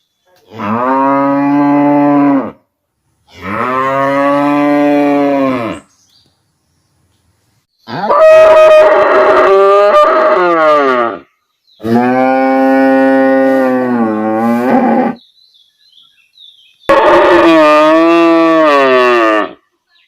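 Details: A standing village cow calls her calf with five loud, drawn-out, rich harmonic moos, each lasting about two to three seconds, separated by short silent pauses, some moos bending in pitch toward the end.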